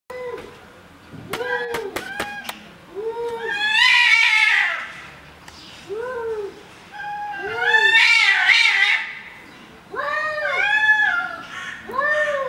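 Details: Angry domestic cats in a fight. They trade long, arched yowls that rise and fall and repeat every few seconds, building into loud, harsh wavering wails. Sharp clicks sound near the start.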